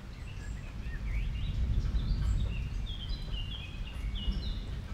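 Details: Guinea pigs in a small family group, content while feeding on water convolvulus; scattered thin whistled chirps, some rising, some falling, sounding several times a second above a loud low hum.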